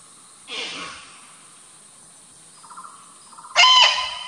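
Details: An Indian muntjac (Muntiacus muntjak, barking deer), living in the forest of the Ijen crater on Java, Indonesia, gives a sudden, loud, hoarse bark after softer rustling and a short pulsed sound.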